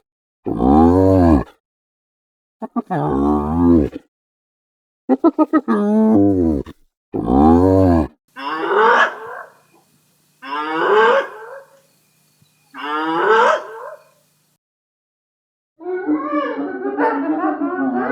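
A hyena gives a series of harsh, wavering laugh-like calls, each bout lasting about a second.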